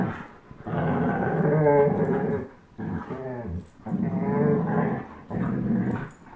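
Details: German Shepherd Chase, 10.5 months old, and Old English Sheepdog Blizzard, one year old, tugging a toy; deep rolling growls in four or five bursts with wavering, whiny upper tones.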